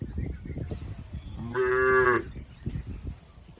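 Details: A tame cow from a healthy village herd grazing in a green field gives one steady, harmonic moo lasting under a second, set against continuous low rustling and munching noise.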